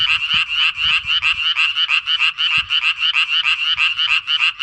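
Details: A tree frog that comes back yearly to breed in a pond calls nonstop: harsh, buzzing pulses about three per second, with a few faint low thumps beneath.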